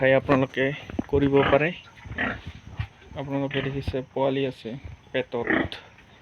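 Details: Pigs of Yorkshire and Hampshire breeds at an Assam pig farm utter short, tonal squealing grunts in quick clusters, the loudest burst early, then softer overlapping calls.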